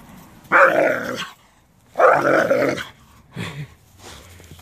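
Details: Doberman barking at a rake it dislikes: two loud, harsh barks about a second and a half apart, then a shorter, quieter bark, with a low rumble underneath.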